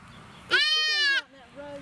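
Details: Female deer fawn being released by people toward the woods, giving one loud, nasal, harmonic-rich bleat lasting about 0.7 seconds, level then dropping off, with a woman's voice heard faintly around it.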